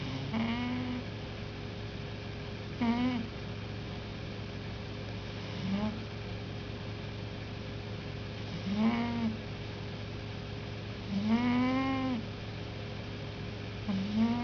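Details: Sleeping house cat named Peter snores with a loud whistle, each breath giving a short arched whistled tone with rich overtones, repeated about every three seconds, above a constant low hum.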